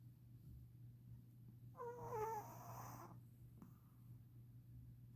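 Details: Shih Tzu dog snoring indoors: one wheezy, rasping snore near the middle with faint whistled overtones, soft and brief, over a steady low room hum.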